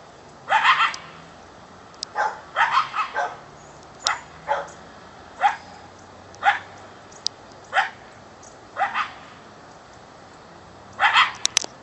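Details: Coyote just beyond a back fence around 4:00 pm, possibly calling its mate; short sharp barks and yips come in separate bursts every second or so, with a few doubled calls, over a quiet background.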